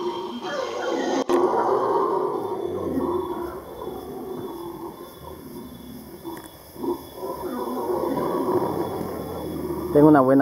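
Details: Howler monkeys give deep, rasping roars that rise and fall, with people talking nearby; recorded 20 March 2014.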